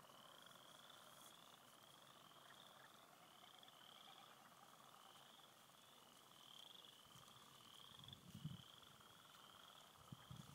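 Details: Frog chorus at a clear-water beaver pond in spring: a continuous high pulsing trill from many distant callers, with a lower droning layer and occasional low knocks and rustles.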